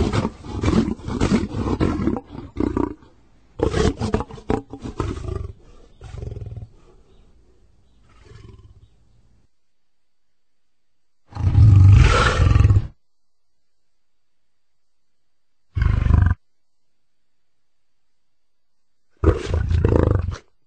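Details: Lion delivering a long run of rumbling, pulsing growls and roars that fade out, then three brief loud gruff roar bursts after silent gaps.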